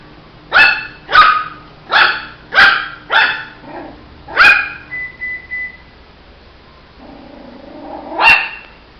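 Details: Barking Shih Tzu puppy: six quick, bright yaps in a row, a softer trailing bark, a short tonal squeak, then a pause with low murmurs before one final sharp bark.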